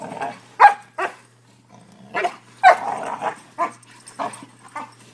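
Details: Two five-month-old Newfoundland and Labrador mix puppies, brothers, playing and barking; short sharp barks and yips come irregularly, about a dozen in five seconds, some overlapping, with a faint low hum underneath.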